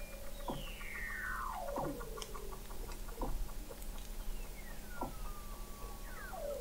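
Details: Weddell seals singing under thick sea ice in McMurdo Sound, Antarctica, recorded November 2017 by a hydrophone 21 m below the ice: long descending whistled glides and sharp downward sweeps, several overlapping, over a steady low hum.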